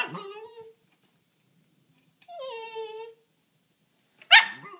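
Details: Dog at a fence with a rabbit on the other side, giving drawn-out tonal whines that slide downward, a pause, another falling whine, then one sharp harsh bark at the end.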